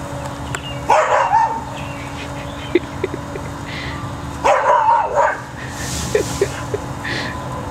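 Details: Max, a pet cocker spaniel afraid to enter a tunnel that holds his treats, gives two short bursts of barking about three seconds apart, with faint yips between, over a steady background hum.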